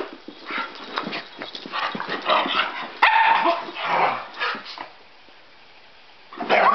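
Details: Two pet dogs, a Cockapoo and a possible Scottie mix, playing together indoors: scattered short barks, yips and growly bursts, busiest in the first five seconds, a quiet pause, then a loud burst at the end.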